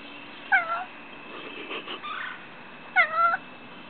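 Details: Lil Pat, a domestic cat, calls while eyeing birds and squirrels across the street that he wants to play with. Two short, bright meows, each falling slightly at the end, come about two and a half seconds apart, with soft murmuring between.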